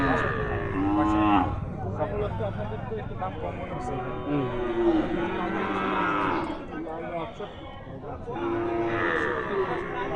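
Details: Small cows at a cattle market: three moos spaced a few seconds apart, with broken, rising-and-falling tones, partly buried in crowd noise and talking.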